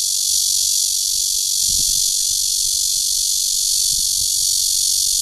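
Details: Cicada, Cryptotympana holsti, giving a courtship call at Guangming Park on Yuanhua Road Section 2, Zhongli, Taiwan, 28 June 2013. A loud, steady, unbroken high-pitched hiss-like drone fills the clip, with faint low thumps beneath.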